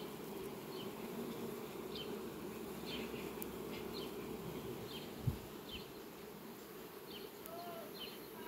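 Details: Farm bees foraging at sunflowers in July 2021 make an even, low buzzing drone. Scattered faint high chirps sound over it, and a single sharp thump is heard midway.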